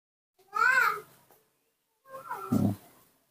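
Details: Newborn baby monkey being taught to eat papaya under a tree in fresh air: a loud, high, arched squealing cry lasting about half a second, then a rougher, shorter vocal burst with a woman speaking Indonesian nearby.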